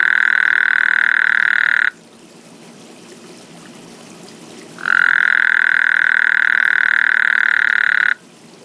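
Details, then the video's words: Frog croaking in a backyard at night: two long, steady, buzzy trills, each about three seconds, held at one even pitch with a short quiet gap between them. The calls start and stop abruptly. "Frog Croaking/Burping in Backyard"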